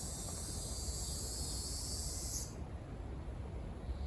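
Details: On June 4 in Okinawa, a Ryukyu large brown cicada (Naabikachikachii in the local dialect) gives a continuous shrill buzzing drone that cuts off abruptly after about two and a half seconds, leaving low rumbling background noise.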